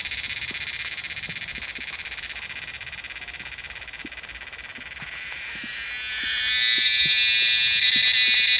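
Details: Cicadas calling en masse from trees in the Himalayan monsoon form a high, rapidly pulsing buzz. It runs softer at first, then swells noticeably louder and brighter after about six seconds.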